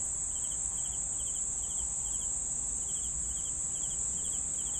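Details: Several crickets chirp together: a constant piercing high-pitched trill overlaid with paired, pulsed chirps repeating at an irregular pace of roughly two per second, with soft low background noise.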